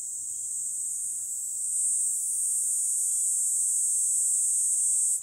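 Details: Kaempfer cicada singing beside a walkway along a commute route as summer approaches; a steady, unbroken high-pitched buzzing drone that holds for the whole stretch, with only faint low background rumble.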